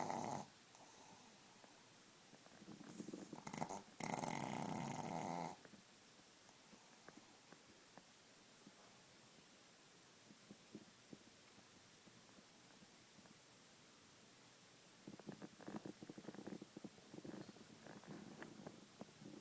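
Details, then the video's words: Pablo, a sleeping pet Chihuahua that snores loudly and often, gives several harsh, rasping snore bursts in the first five seconds, then quieter, sparse breathing and scattered soft snorts until faint clicks near the end. "My chihuahua Pablo snores all the time when he's sleeping, and LOUD! This time he wakes himself up!"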